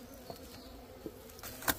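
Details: Small bees buzz around a nest built in a hut. The hum is continuous and even, with a clear low tone and a higher overtone. Brief clicks break in, and a sharp rustle comes near the end.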